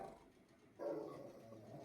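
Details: Lucky, a Rottweiler dog, very angry: after a quiet start, a sudden strong harsh vocal sound rises at mid pitch and holds for about a second, fading only slightly toward the end, with faint room hum underneath.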